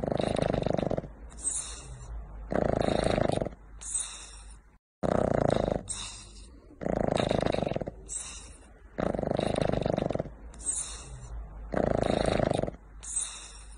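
A French bulldog snores loudly, each rasping breath repeating about every two and a half seconds.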